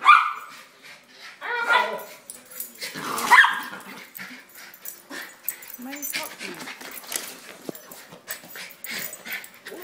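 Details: Two Schnauzers welcoming their owner home give a few sharp excited barks early on, then a brief whine, while a man chatters to them and household noises continue.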